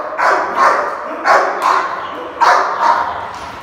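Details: Rottweiler in India guarding its food: rough, snarling barks in pairs, each burst gravelly and forceful, separated by brief pauses.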